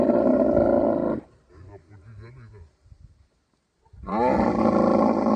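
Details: Camel during mating season, Thar Desert, Sindh, Pakistan. A harsh, bubbling roar cuts off after a second, followed by quieter low murmurs and a pause. A second rough, pulsing roar then surges back in.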